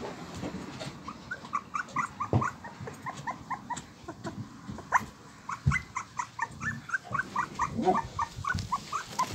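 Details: Husky puppy Molly, a pet, makes quick short squeaky yips and whimpers, repeated rapidly in an uneven stream, with a few soft thumps and low rumbles underneath.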